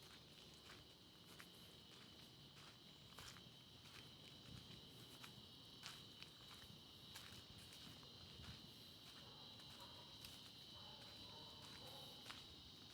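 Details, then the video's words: Insects in a forest in central Kandy, Sri Lanka, give a steady, high drone while footsteps crunch along a dirt road underneath. "அந்த பூச்சிகளோட சத்தத்தை நல்லா கேளுங்க."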